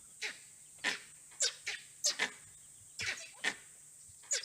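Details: Langurs in trees give harsh, coughing alarm barks in quick bursts that echo through the forest in Bar Nawapara Wildlife Sanctuary, Chhattisgarh, warning of an unseen predator, possibly a leopard or wild dogs.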